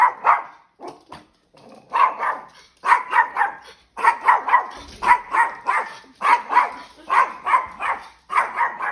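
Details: A 2.5-year-old spayed female dog barks at a trainer who moves abruptly then stops, guarding her owners and territory; rapid bursts of sharp barks, roughly three or four per second in clusters, with brief pauses between runs.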